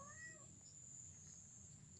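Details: Mother domestic cat calling her kittens as she tries to move her litter of triplets: one short, faint, slightly falling meow in the first half-second, then a steady high electronic whine and low hum.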